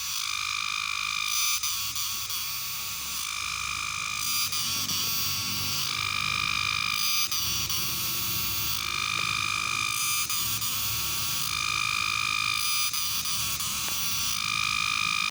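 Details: Cicada calling: a loud, continuous shrill drone made of steady tonal bands that swell and fade about every one and a half seconds, over a dense high buzz with faint low rumble beneath.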